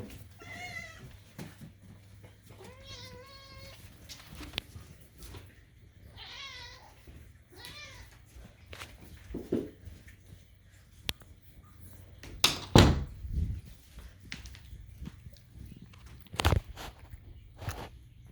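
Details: Indoor cat meowing for food with strange kitten-like sounds. Four short, quavering meows come in the first seven seconds, then loud clattering and knocks with no more calls.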